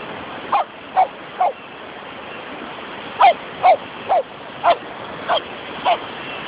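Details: Poodles playing and having fun at the beach give short sharp barks in a quick, irregular series, about two a second, over a steady background hiss of wind and surf.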